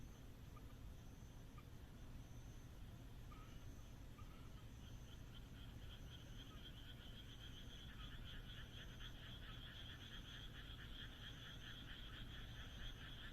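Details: Frogs calling on a moonlit night in the Japanese countryside: a dense chorus of rapid pulsed croaks that swells after the first few seconds, over a constant low rumble, with a thin high tone recurring in short bursts.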